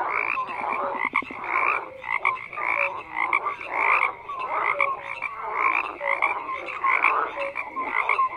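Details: Frogs croaking in a loud massed chorus, rough pulsing croaks overlapping in waves, a brief rapid rattle near the start and short tonal notes recurring throughout.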